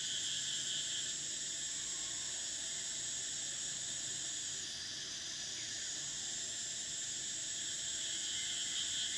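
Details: Thai cicadas in summer make a loud, steady, ringing drone; the highest tone dips and shifts once midway while the sound keeps going without pause.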